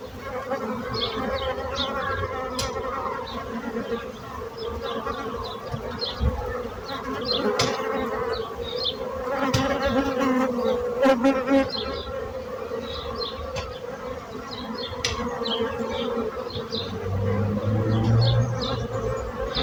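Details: A dense drone of buzzing bees holds steady throughout, rising and falling slightly in loudness as bees fly nearer, while brief high chirps and twitters flicker in the background.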